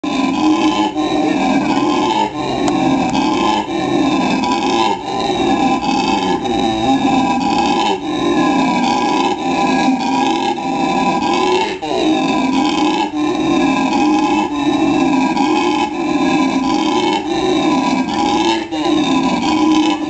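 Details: Male black howler monkey at the zoo in La Plata, Argentina, giving its characteristic call: a continuous, loud, deep roaring chorus of rough harmonic tones, pulsing in surges roughly every second and a half with no break across the stretch.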